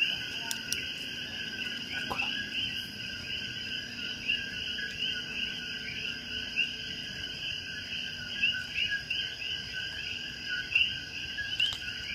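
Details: Coqui frogs in a dense, unbroken chorus of high, chirping and trilling calls that overlap into steady bands of sound, with a few faint clicks and knocks.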